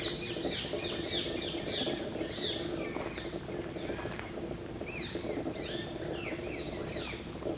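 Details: Squeaky, sharply descending chirps come in quick runs from fruit bats in a Kadam tree at Bharatpur Bird Sanctuary, with a pause midway, then another burst, all above a constant low droning noise.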